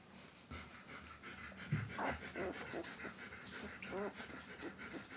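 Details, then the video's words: White Swiss Shepherd puppies, 13 days old, giving short squeaky whines and soft rapid panting breaths, with a few rising yelps near the middle. "weisse schweizer Schäferhundwelpen"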